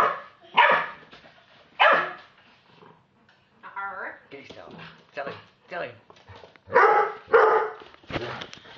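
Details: A 12-week-old Staffordshire Bull Terrier puppy barks at an Old English Sheepdog, giving sharp, high barks in quick bursts answered by the other dog.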